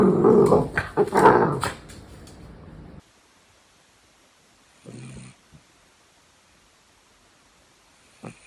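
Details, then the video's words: Louis Philipp, a family's tricolor Cavalier King Charles Spaniel from Munich, Germany, lets out a loud burst of growly grumbling for about three seconds, followed by near silence broken by two short faint sounds. "What does Cavalier sound like?"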